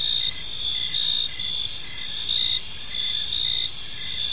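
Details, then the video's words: Crickets chirping on an evening in a peaceful park, a dense layered chorus of steady high trills with pulsing bursts roughly every half second over a soft low background hum. "Cricket Sounds in a Peaceful Park"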